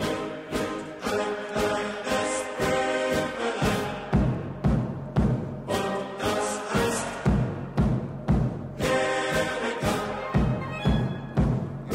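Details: Orchestral music with pounding timpani beats and brass swells plays throughout, with no animal sounds.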